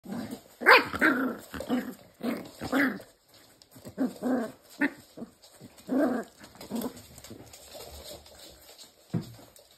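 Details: Pembroke Welsh Corgi puppies playing. Soft scattered yips, whines and small growls come at irregular intervals over a steady background hiss.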